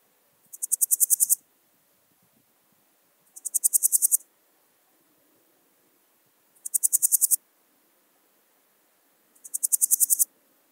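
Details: Podismopsis keisti, Swiss gold grasshopper, recorded in Wildhaus, Switzerland, in early October 2022: four short, high-pitched scratchy bursts, each of roughly ten quick pulses growing louder, spaced about three seconds apart over near silence.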